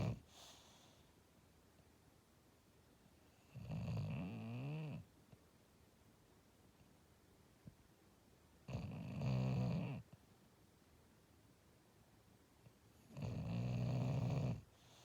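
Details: Dreaming English Bulldog sleeping indoors, snoring in slow rough bursts roughly every five seconds, each a low rattling rasp lasting over a second, with near silence between.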